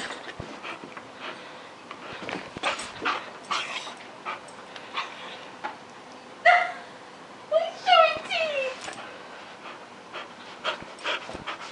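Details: Gibbs, a pet dog at home, gives two short whimpering cries, a brief high whine followed about a second later by a cluster of rising and falling yelps, with faint clicks and shuffling sounds around them.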